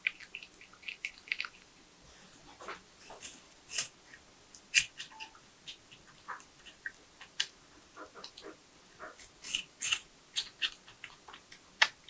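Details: Tree porcupine eating nuts, bananas, sweet potatoes, apples and carrots, recorded close up for ASMR: soft, scattered crunchy clicks and wet snaps come at an uneven pace with quiet pauses between bites.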